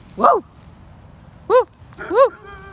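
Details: Dog barks outside, three short, rising-then-falling barks with the last two close together, followed by a faint tonal hum.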